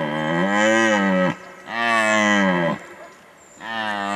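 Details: Red deer stag's rutting bellow, recorded in 2019 during the breeding season: three loud, deep, harmonic roars of about one and a half seconds each, slightly arched in pitch, separated by short pauses.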